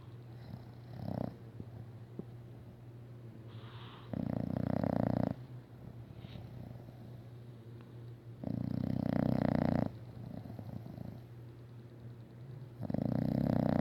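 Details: A female English Bulldog snores very loudly in rasping rumbles that return roughly every four seconds.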